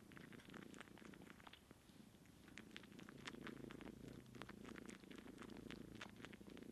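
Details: Nursing scene: a kitten dry-sucks on her aunt, who has no milk. A continuous deep purr runs under rapid wet clicks and smacks from the suckling.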